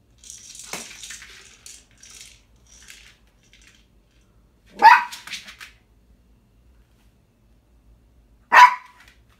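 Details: Small dog playing with a snack ball indoors, annoyed and demanding the snack be taken out: soft scratchy rattling early on, then two short sharp high yips or barks about four seconds apart.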